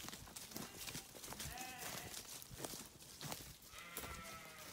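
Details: Sheep heard through busy rustling and knocking: a faint short bleat midway and a second thin, wavering bleat toward the end.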